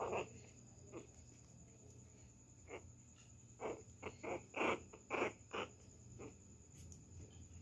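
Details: Puppy Pinscher pestering a poodle: a few scattered gruff huffs, then a quick run of short, harsh barks near the middle, fading to isolated snorts, with a steady faint hum behind.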